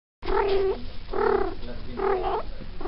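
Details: A female Maine Coon that has just come into season gives long, drawn-out yowling calls, repeated with short pauses.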